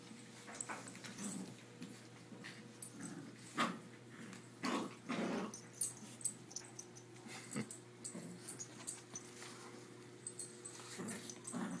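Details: A Rottweiler and a Yorkie in a rope tug-of-war growl in rough, breathy bursts, with short snorts and huffs between them.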